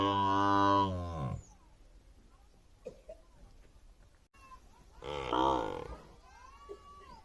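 Two loud, deep buffalo bellows, each lasting about a second, separated by a quiet pause.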